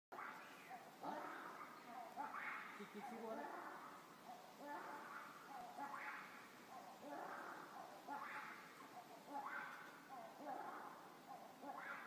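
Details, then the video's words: Black-and-white ruffed lemurs in Ranomafana National Park, Madagascar, giving weird, raucous noises: harsh, broadband barking bursts repeated roughly every one to two seconds in a steady, rolling chorus. "White and black ruffed lemurs sounds Madagascar ranomafana weird sounds"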